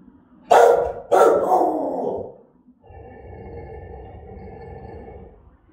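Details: Rottweiler of German type giving threatening, aggressive barks: two loud, harsh barks close together, then a long, lower rough rumbling sound that holds steady for about three seconds before fading.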